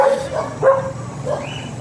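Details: Teacup Pomeranian stud dog at Bugallion, Pangasinan, giving a run of short, high yapping barks, about four in under two seconds, with a faint rising whine near the end and a low background hum.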